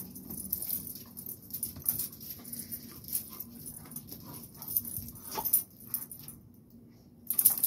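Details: Low rumbling growls and snarls from a Rottweiler fighting a blue pit bull, mixed with irregular thumps, scraping and short sharp clatters, then a brief quieter stretch before a final burst.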